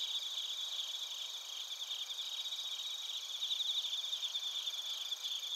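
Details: Bell crickets and other crickets chirping at Narita, Chiba Prefecture, Japan, captured on a TASCAM Portacapture X8: a dense, steady high chorus of rapid pulsed trills layered with continuous ringing tones, with no other sounds.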